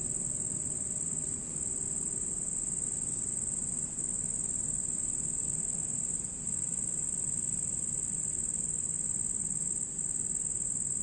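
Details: At night a red cricket sings a steady, very high ringing trill, constant in pitch, briefly dipping a few times, above a quiet low murmur.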